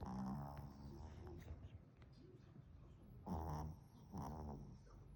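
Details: Sable Pomeranian puppy snoring: deep, rough nasal rumbles with harmonic bands, loudest at the start and in two bursts near the three- and four-second marks, over low background hum.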